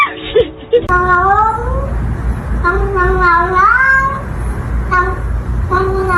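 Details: Domestic kitten meowing in a short bout series: drawn-out, rising then falling tonal meows, one long wavering call near the middle and a brief final meow, over a steady low hum.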